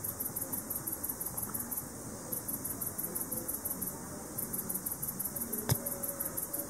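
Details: Speckled bush-cricket (Leptophyes punctatissima) male song, very high faint ticking pulses in quick runs with short pauses; ultrasonic (~40 kHz) ticks inaudible unaided, picked up with a bat detector; adults sing July–October, mainly 7 pm–3 am.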